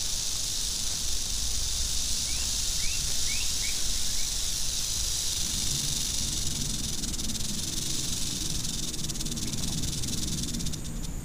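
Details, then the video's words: Angry western diamondback rattlesnake rattling: a steady, dense high hiss-like buzz that holds through the whole stretch, with a few faint short rising chirps near the middle and low rumbling background noise. "Angry Western Diamondback Rattlesnake"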